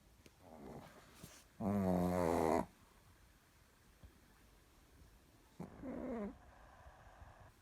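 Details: Sleeping Chihuahua snoring indoors in a quiet room: two rough, buzzy snores about four seconds apart, the first longer and louder, the second shorter and rising, with soft breathing noise between.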